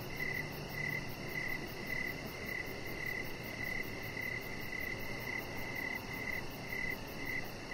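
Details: Crickets at dusk on a deck with lights strung up and a chihuahua puppy resting. Crisp, evenly spaced chirps come nearly two per second, over a dull low drone with a brief lower hum early on.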